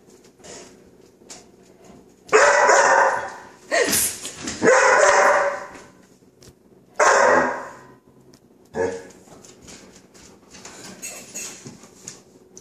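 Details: A five-month-old chocolate Labrador named Coco barks, scared of non-stick spray and its "chhht" hiss; a few loud, spaced barks with rising yelping tails stand out over quiet background, some human squealing alongside.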